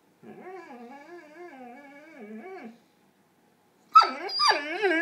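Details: Dog with its ball stuck, indoors in a small room, giving a long wavering whine for about two and a half seconds, then a pause and a burst of higher yelping, complaining calls.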